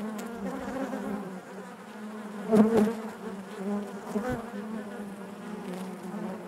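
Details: Continuous droning buzz of many honey bees within the hive, even and layered, broken by a sharp louder knock near the middle and a smaller one later.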